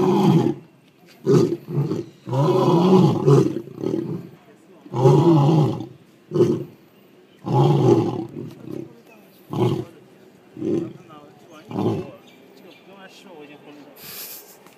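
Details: Zoo lions in Melbourne exchanging calls: several long, powerful roars at the start, then a run of shorter grunting roars that grow briefer and quieter, trailing off toward the end.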